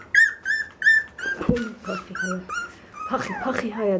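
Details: Dog whining indoors: a run of high, thin, slightly falling whimpers about a third of a second apart, then lower, wavering whines, with a person's voice mixed in.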